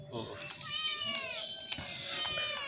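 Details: Sick stray cat with severe scabies, hungry and thirsty, crying for help at a house; a long wavering meow rising then falling over about two seconds, with clicks, taps and background speech.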